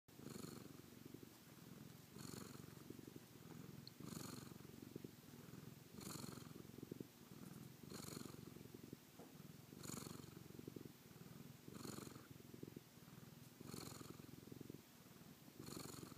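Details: LeBeef, a domestic cat, purring on a Wednesday night, May 16 2012, at bedtime, which it loves. Steady, low, rumbling pulsed purr throughout, with a soft breathy swell about every two seconds.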